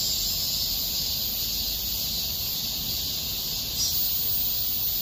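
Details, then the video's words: Park cicadas in August 2021 form a continuous, even, high shrill drone with little variation, over a soft low background rumble. "공원 매미소리"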